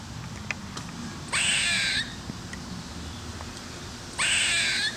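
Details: Squirrel screaming in Smyrna, Georgia, captured on a Canon 5D Mark II: two harsh, raspy screeches, each lasting under a second and spaced about three seconds apart, over a low outdoor rumble with faint ticks between them.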